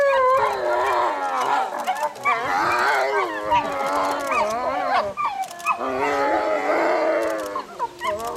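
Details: Timber wolves in a Japanese zoo howling in chorus: several overlapping long, wavering tones that slide up and down, with rising and falling voices weaving together across the whole stretch and brief dips between phrases.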